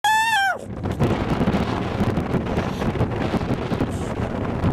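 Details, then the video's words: A white baby seal pup gives one brief, rich wail that slides downward, followed by steady wind noise. "Baby Seal Sounds"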